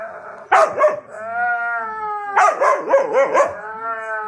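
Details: Husky's voice alternating between harsh, gravelly bursts and long, steady whining tones that hold a level pitch, then another rough wavering outburst before a final sustained whine.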